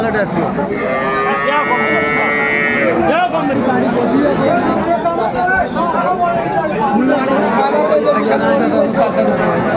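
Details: Lowing of a cow at Aftabganj cattle market, Dinajpur, Bangladesh, 30 June 2024, where cows are sold with their calves: one sustained harmonic moo near the start, then busy market chatter and bargaining voices throughout.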